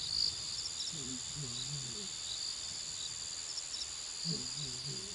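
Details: Lonely lioness calling for her pride at Naledi Cat-EYE, picked up by a live camera on 14 December 2022: two bursts of low, moaning, harmonic calls, the second after a pause of about two seconds, under a steady, shrill cricket chorus.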